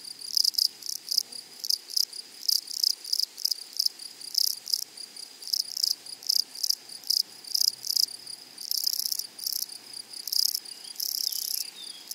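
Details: Grasshoppers in a flowery meadow, a high buzzy chirping in short bursts repeated several times a second, overlapping callers forming a continuous insect chorus with a steady high tone beneath.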